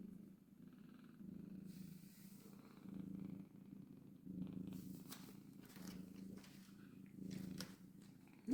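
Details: Domestic mother cat with kittens purring continuously, a low even rumble pulsing with each breath, interrupted by a few faint clicks and rustles and a sharp sound at the very end.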